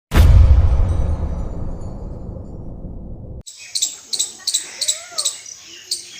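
An Indian palm squirrel gives sharp, high chirps repeated several times a second, after a burst of low rumbling.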